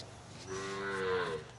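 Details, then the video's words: Punganur bull, recorded at P Gannavaram, lowing briefly: a short tonal moo with clear stacked harmonics, swelling in the middle and fading after about a second. "Punganur Bull"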